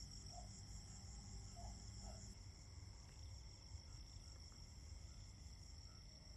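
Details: A steady chorus of autumn crickets trilling in high, unbroken tones over a low background rumble.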